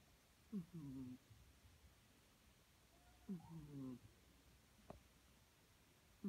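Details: A female British Shorthair cat snores in low, rattling, buzzy breaths about every three seconds.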